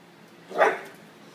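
A Bull Terrier gives a single short, sharp bark against a quiet background.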